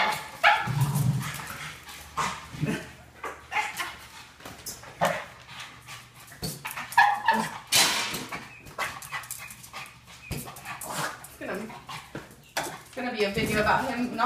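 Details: Boston Terrier at home, wildly excited while playing with a balloon, filmed on an iPhone 5S; scattered sharp, noisy barks and brief yips at irregular intervals, with people talking, thumps of play and background music.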